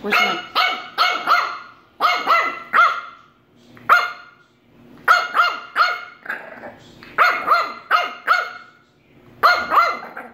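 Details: A female French Bulldog puppy yaps in sharp, high barks in quick bursts of two or three at her treat-dispenser doorbell, apparently frustrated that ringing it gave no treat.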